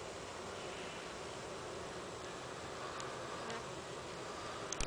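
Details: Honey bees at a hive, clustering outside for three days though not swarming, at the end of honey season, give a steady, dense hum like many wings buzzing together.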